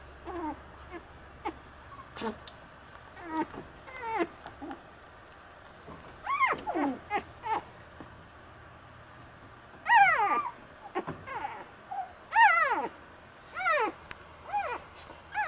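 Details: Four Shiba Inu puppy littermates born on 24 May, giving thin, high squeaky whimpers and yelps that rise then slide down in pitch, scattered irregularly over faint background hum.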